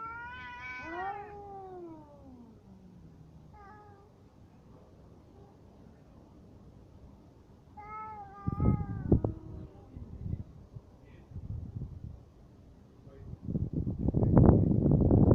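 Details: Cats fighting: a single loud yowl rises and then falls away within the first two seconds. Short faint cries follow, then bursts of scuffling thumps and rustling.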